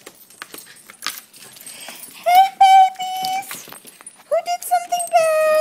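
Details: Dogs left with a sitter in Houston, Texas, a dachshund, an old beagle and a mixed-breed, welcoming her home in midsummer: long level howled notes held over a second, then shorter ones rising in bursts, after quiet talk and shuffling.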